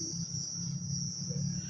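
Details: Crickets at Taman Rakyat Klang after dark produce an unbroken, piercing high drone, while a heavy low hum fills the background.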